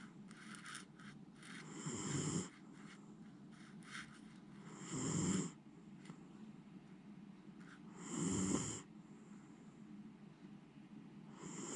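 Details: Deeply sleeping Miniature Schnauzer named Jiji, not waking despite usually rousing at small noises, gives loud snores. Three rasping snores about three seconds apart, each ending in a breathy hiss, with faint breathing and small rustles between.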